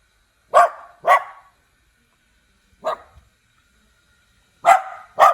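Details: {'caption': 'Cute little dog barking: two quick sharp barks, a single softer bark after a pause, then two more loud barks close together, in an otherwise quiet setting.'}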